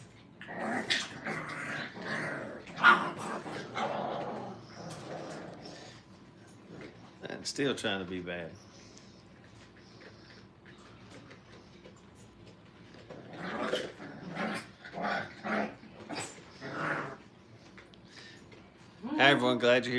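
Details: Five-week-old Brittany puppies playing at a training kennel: short harmonic whines and yips with rough growly bursts, coming in clusters separated by quieter stretches, while human voices talk in the background.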